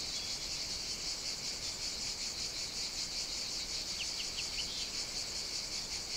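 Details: Summer-morning cicada chorus beside an outdoor caffè in Sicily, Italy, a steady shimmering high buzz, with a brief run of four quick bird chirps near the end.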